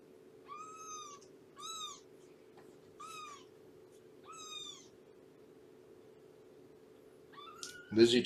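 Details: Shelby, a female cat about two years old living with Purrfect Pals, meows repeatedly on a morning visit, four clear high falling mews about a second apart, then a final meow cut by a loud knock or thump.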